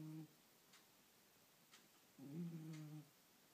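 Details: Sleeping domestic cat snoring indoors: a short low harmonic rasp at the start, then one fuller buzzing snore lasting under a second, with quiet room hiss between breaths.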